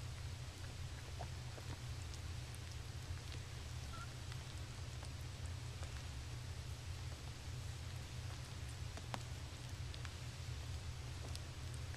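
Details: A quiet, steady low hum with faint scattered clicks and ticks, and no clear voice or call.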